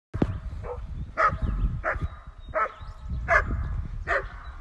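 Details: Dog, one of a household pair, a German Shepherd and a Newfoundland, giving a run of six sharp, fairly deep barks spaced under a second apart, with low rumbling background noise between them.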